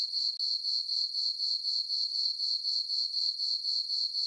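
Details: Summer-night crickets in a moonlit farm meadow, their high chirps beating evenly at roughly four pulses per second in an unbroken shimmering stream, with no other voices or noise.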